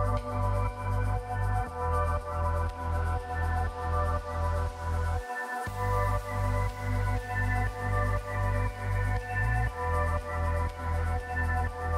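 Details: A pulsing electronic music track with a deep repeated bass beat and sustained synth tones fills the recording, briefly dropping out near the middle, and no animal is heard.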